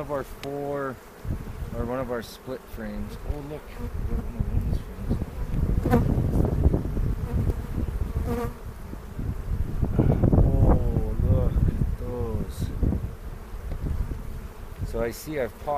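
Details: Honey bees buzzing around an open hive during an April 27 spring inspection in foothills near Cochrane, recorded on a 360 camera; a steady low hum with wavering, rising and falling buzzes as bees fly close past.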